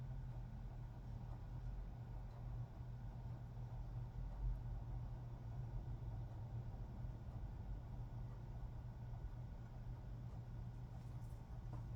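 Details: Quiet, steady low engine-like hum continues throughout, with no animal voice heard.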